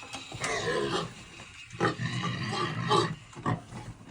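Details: Domestic pigs fighting over food on a farm, giving harsh, broad squealing grunts in bursts about every half second to second, with loud peaks near two and three seconds.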